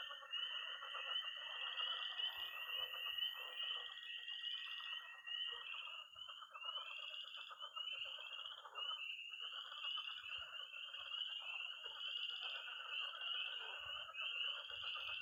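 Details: Peeping tree frogs, pond frogs and high-trilling toads at night in early spring in Missouri: rapid overlapping upslurred peeps repeat over a steady buzzing trill, with faint low knocks now and then.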